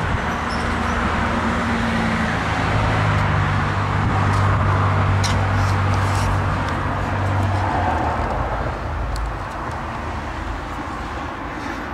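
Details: Steady roar of road traffic with a humming engine passing, and no animal sounds heard.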